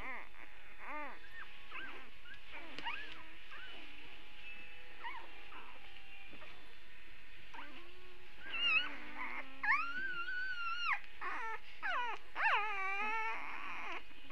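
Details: Early Saturday puppies whining, soft scattered whimpers at first, then louder drawn-out high wavering cries in the second half, several pups calling over one another above a low steady hum.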